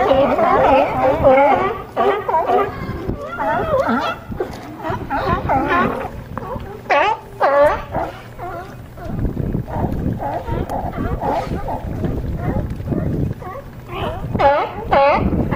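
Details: California sea lions crowded on a harbor dock in Crescent City, California, barking loudly with rough, wavering, harmonic honks, several voices overlapping in bursts with short quieter pauses between.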